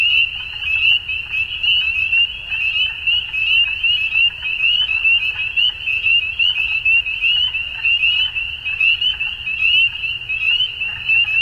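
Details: Frogs calling at dusk in spring in Ontario, Canada: a dense, unbroken chorus of short, high, rising peeps overlapping constantly, with a faint low rumble underneath.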